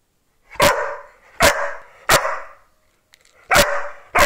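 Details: Oscar, an Australian Cattle Dog, barking while playing ball on 14 October 2020: five loud, sharp barks spaced roughly a second apart, with a pause before the last pair.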